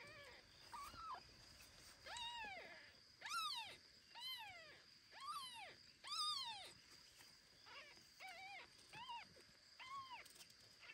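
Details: Kitten Ginny, carried home by foster mother cat Kira after tasting everything around; about a dozen clear arched mews, rising then falling, repeated roughly every second over a faint steady hum.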